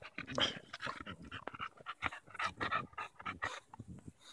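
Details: Daisy, a Bulldog, on a July 2014 walk in Erindale Park, tussling with a branch she treats as a stick: quick, breathy, uneven panting bursts in rapid succession with scuffling in the background.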